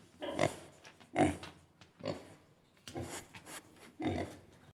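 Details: Pigs on a farm grunting in rough, low bursts roughly once a second, five or six grunts in a row with quiet gaps between them.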